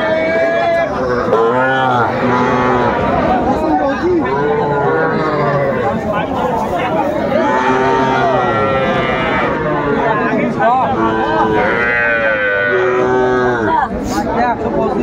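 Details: Young bulls and heifer calves at a busy cattle market in Manikganj, Bangladesh, on 1 September 2024: repeated bending, nasal moos of several animals overlap, with steady men's bargaining chatter throughout.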